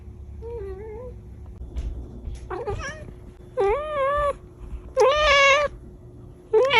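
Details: Kittens meowing in quick succession, soft wavering mews building to louder, longer meows nearly every second, over a low hum.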